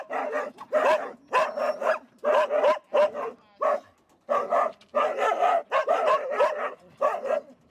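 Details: Resting hunting dogs of a Tokushima Prefecture hunting club in Japan, waiting to go out after wild boar, bark steadily in strong, rough, rapid runs separated by brief silences, with a thin whine in the gaps.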